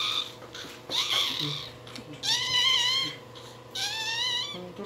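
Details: Newborn Shih Tzu puppy crying: a short whimper, then two drawn-out, thin, high whining cries about a second apart, each bending slightly upward before easing off, over a steady low background hum.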